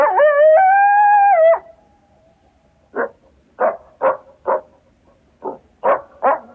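A coyote gives a steady, drawn-out howl, then a run of short, sharp yips.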